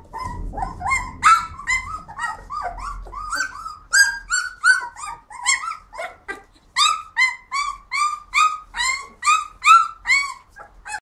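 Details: Flat-coated Retrievers barking and screaming on a walk: rapid run of high, sharp yelping barks, several per second, excited and uneven, with a low rumbling background early on.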